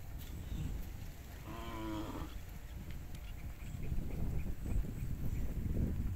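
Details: Cattle described as wild and fat, suited for fattening: one short, harmonic moo lasting under a second near the middle, over steady low rumbling background noise and scattered thumps.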